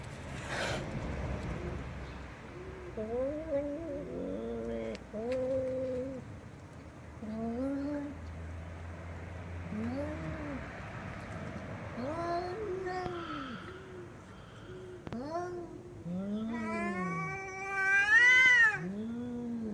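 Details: Domestic cats meowing loudly, a run of short arched meows, some low and some higher, with a louder, higher rising-and-falling meow near the end; a low hum in the background early on.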